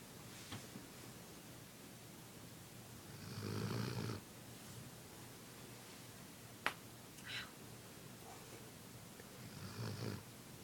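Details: Kip the dog snoring while asleep indoors: two drawn-out rasping snores about six seconds apart, low and breathy with a hissing top, plus a sharp click and a soft snort between.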